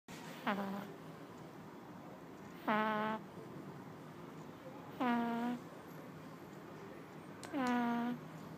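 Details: Chateubriand, a two-month-old pug puppy, snoring in sleep indoors: four nasal snores about every 2.5 seconds, each a short harmonic whine that dips quickly and then holds a steady low hum.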